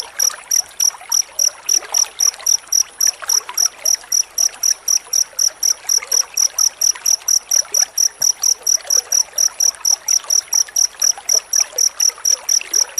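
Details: Cricket chirping rapidly, sound used as a master recording for training magpie-robins to sing: a steady stream of short, high, pure chirps, about four per second, over a soft trickling background hiss.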